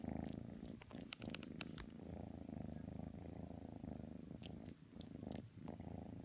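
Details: Kitten Matsumoto purring while trying to snuggle with Tanka the pit bull indoors; a steady, low rumbling purr runs throughout, with soft rhythmic pulses, interrupted by a few brief rustling clicks and light scratchy sounds.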